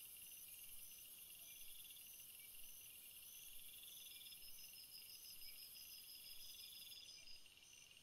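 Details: Crickets chirping in a field, natural sound: layered high, steady trilling bands with pulsed chirp trains repeating about once a second, several insects calling together over a soft background hiss, no other clear sounds.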